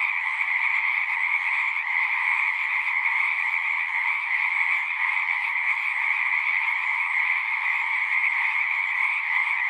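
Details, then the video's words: A pond full of singing frogs in a horse pasture, recorded using a Zoom 6: continuous, massed high-pitched trills blend into an even drone-like chorus, two clear pitch layers, no breaks and nothing else audible. "Frogs singing"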